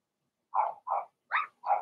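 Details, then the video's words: Young Blenheim Cavalier King Charles Spaniel puppies in their pen at home, one of six littermates: four quick yapping barks in under two seconds, the third pitched higher and squeakier. "Cavalier Puppies Bark, Howl, and POOP"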